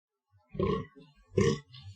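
A fallow deer gives two deep, harsh, belching grunts about a second apart.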